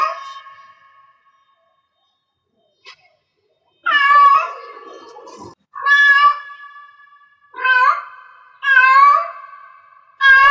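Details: Domestic cat in heat meowing: loud harmonic calls, each rising then falling, about four in quick succession after a short quiet start, with a steady faint tone lingering between them in a small indoor room.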